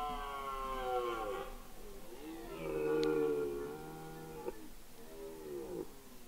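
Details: Red deer during the rut on Mont-Lozère in the Cévennes National Park, France, 2016: three drawn-out, harmonic moaning bellows, the middle one loudest, each sliding downward at its end.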